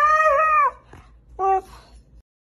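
A Siberian Husky gives a wavering, tonal howl, then a shorter second note after a pause.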